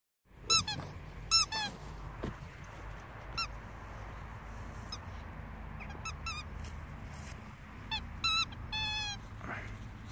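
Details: A two-month-old Staffordshire Bull Terrier puppy gives high, thin squeaky whimpers in short bursts over a low steady hum.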